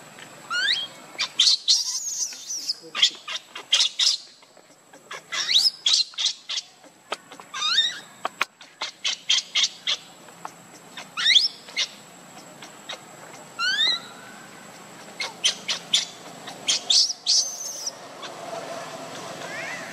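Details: Baby monkey Lucie, hungry and pitifully crying for milk while foaming at the mouth: loud, high, shrill squeals with sharply falling pitch, uttered in quick bursts with short pauses throughout.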